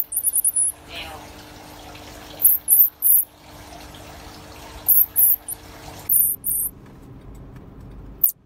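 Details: Pygmy marmoset, a finger-sized monkey, uttering clusters of brief, very high chirps in quick bursts of two to four, spaced irregularly over a low steady hum, ending with a sharp click.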